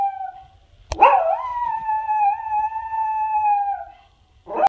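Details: Pet dog sitting on a chair howls when sirens come on, apparently taking them for other dogs howling, while a second dog lies on the ground. After a sharp knock, one smooth, sustained howl rises slightly, then holds steady for nearly three seconds before fading.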